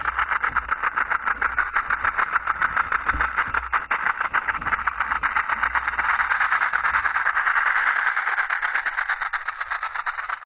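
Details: Continuous dry buzzing rattle of a western diamondback rattlesnake, made of very fast even pulses that keep going unbroken, brightening slightly in pitch past the midpoint before thinning out at the close.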